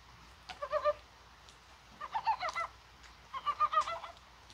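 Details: Rain falls on a spring-like January 21 in Korea as mountain frogs utter three short runs of pulsed, throaty clucks, each about a second long and evenly spaced.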